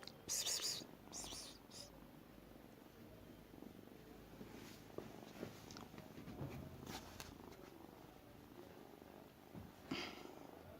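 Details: Small cat indoors producing an odd purring murmur as it eats, a soft continuous rumble broken by several sharp, loud bursts of rustling or chewing noise near the start and end.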